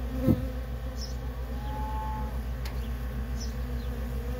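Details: Worker honey bees in nonstop traffic at a feral colony: a steady low, dense droning hum with layered tones, one louder bee passing close early on, and faint high chirps overhead.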